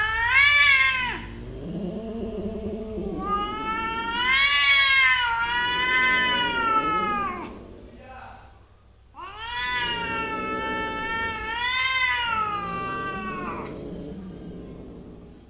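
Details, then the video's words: Feuding cat family members, mother and daughter, exchange loud undulating yowls in three long bouts, with low growling murmurs between the high howls. "Love & Hate relationship of Mother & Daughter in a cat family."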